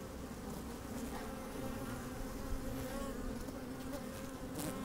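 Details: Honey bees working inside an opened hive on a fine, sunny day, microphone slid down among them: a steady low droning hum with a faint higher overtone, occasional louder buzzes and soft clicks, light wind.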